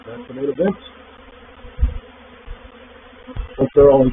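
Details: A reproductive swarm of honey bees entering a swarm trap, recorded 04/07/21. A continuous droning hum runs throughout, swelling into louder buzzing passes at the start and again at the end, with a few dull low thumps between.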